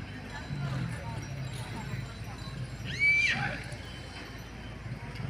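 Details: Local racehorse at Lembah Kara, Dompu. One loud, shrill whinny lasts about half a second and falls in pitch with a shaky, quavering tone. People talk in the background and there is steady outdoor noise.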